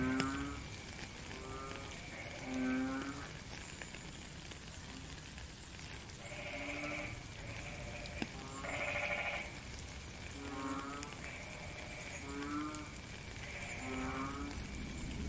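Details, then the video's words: Frogs calling in rainy weather: a chorus of short nasal honks, some louder and brighter than others, repeating roughly every one to two seconds beneath a continuous rain hiss. "Frog and Rain"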